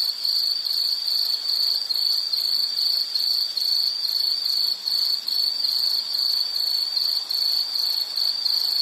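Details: High insect trilling meant as calming background for study or sleep: bursts of rapid pulses follow each other about twice a second, steady in loudness and pitch, with nothing else audible.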